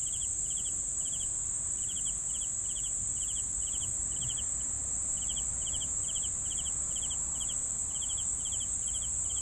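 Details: Crickets calling in a regular series of short pulsed chirps, about two and a half per second with one brief pause, layered over a steady high-pitched insect drone.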